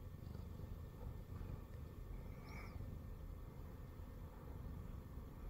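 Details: Former stray Siamese cat purring while lying on a person's belly indoors, a continuous deep pulsing rumble with a faint short squeak or rustle in the middle.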